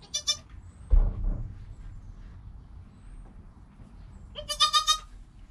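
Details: Joel, a goat kid less than an hour old beside his mother Penny, gives a brief high bleat, then after a quiet stretch with a thump and rustling, a longer quavering bleat.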